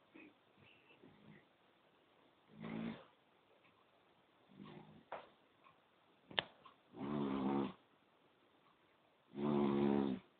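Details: Sleeping poodle with soft, irregular breathing sounds and small snuffles, building to two loud, rumbling snores toward the end, with one brief click in between.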